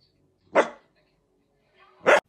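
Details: Playful miniature dachshund giving two short, sharp barks about one and a half seconds apart, each a loud burst with quiet in between.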